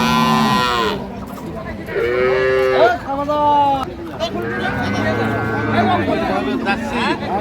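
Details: Dairy cows and calves, including Jersey cattle, at Ambari cattle market in Bangladesh: several loud overlapping moos, one strong drawn-out call near the middle with rich harmonics, then lower lowing, with people bargaining in the background.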